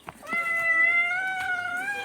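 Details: Pet cat indoors giving one long, steady, clear meow of about two seconds that holds an even pitch before easing off slightly at the end.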